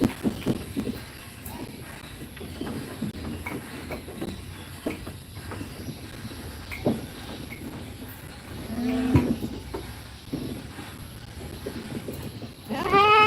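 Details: Young goat kids in a pen during feeding and play; a wavering, quavering bleat near the middle and a sharp rising bleat at the very end, over shuffling, rustling and general pen noise.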